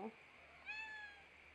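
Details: Kitten giving a single thin, high meow that rises slightly and then slowly falls over about half a second, following a short click, with steady low hum in a quiet room.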